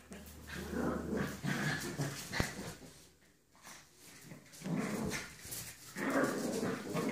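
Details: Wild boar (Sus scrofa), grunts.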